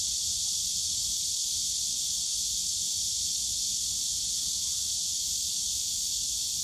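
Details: Steady shrill hiss of many cicadas calling together in the bamboo forest of Yongsan Family Park on a summer day, level and continuous, over a light low hum of distant park sound.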